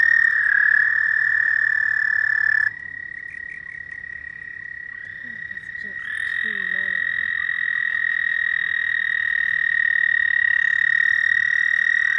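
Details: Night chorus of frogs: long overlapping high trills start and stop at different moments, so the loudness steps down and back up. Faint voices are heard in the middle.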